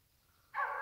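A wild boar gives a sudden, harsh, rasping call after a moment of near silence.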